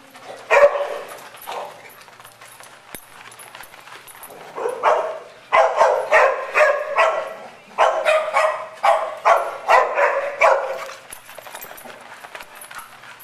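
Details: Dogs at play at Double Dog Day Care in Stow, Ohio, where Madison, a tri-color mixed breed, leads the gang on a romp; a run of sharp repeated barks, about two per second, comes in bursts with brief pauses between.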